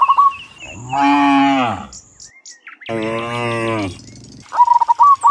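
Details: Dozens of cows returning from the fields to the pen in the afternoon; two full, resonant moos in succession, framed by short repeated bird chirps at start and end.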